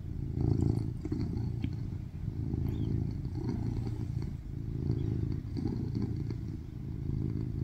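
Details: A rescued male tuxedo cat, born in 2019, purrs loudly while lying on a lap, kneading gently and licking a hand in affection; a steady low rumbling throb continues throughout with soft rhythmic pulses and faint rustling, recorded in August 2023.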